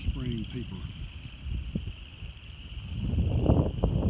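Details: A steady, high chorus of upland chorus frogs trills together on 1 February 2017 in habitat on a golf course, with a brief human voice at the start.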